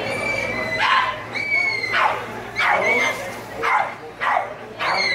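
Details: A 4¼-month-old Rhodesian Ridgeback at lure coursing alternates thin, steady whining with bursts of high, downward-sweeping yelping barks, about six in all, over faint background voices.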